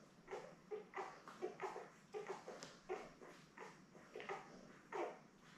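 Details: Newborn Labrador Retriever puppies, seven born May 24, 2021, with their mother Belle in an indoor puppy cam; soft repeated whimpering squeaks, roughly one and a half per second, irregular in rhythm.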